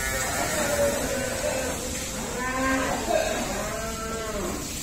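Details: Cattle on an Indian dairy farm keeping both cows and buffaloes, where workers go about their daily routine: several overlapping low, drawn-out moos with rich harmonics, rising and falling, over a steady hum of background noise.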